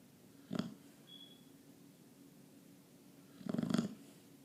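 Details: A pet Chow Chow dog snoring: two separate breathy snoring bursts, a short one near the start and a longer rattling one near the end, with a faint steady hum underneath.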